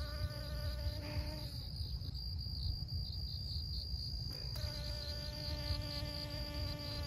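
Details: A honey bee's steady, low wing buzz comes and goes over a constant high insect whine as it pollinates flowers, in Siosar, Karo, North Sumatra, Indonesia.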